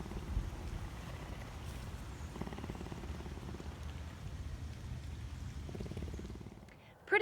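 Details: A captive cougar at a big cat rescue sanctuary purrs in a low, steady rumble while a person speaks softly over it.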